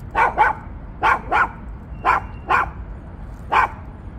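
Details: Maltipoo barking during a walk: seven short, sharp barks, mostly in quick pairs about a quarter second apart, the groups spaced roughly a second apart, over a low steady background rumble.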